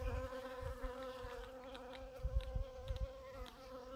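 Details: Bee working purple dead-nettle blossoms, giving a steady, continuous droning hum with a slight waver in pitch throughout, accompanied by soft low thumps and rumble.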